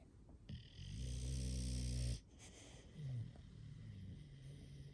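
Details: Loud, rumbling inhaled snore from an English Bulldog, one of five pet bulldogs in the house, lasting over a second, then a shorter nasal grunt and wheezy breaths.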